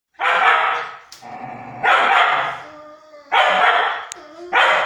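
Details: Nine-month-old Fox Terrier scolding its friend, a year-and-a-half-old Dogo Argentino that ran off and came back after half an hour: four loud, harsh, grumbling barks, each about a second long, spaced roughly every one and a half seconds.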